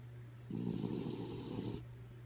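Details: Sleepy dog Kaya Boo gives one long rough snore lasting just over a second, a rattling breathy inhale, with a steady low mechanical hum running underneath.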